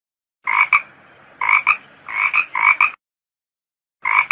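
A toad gives short, rough double-pulsed croaks in repeated bursts.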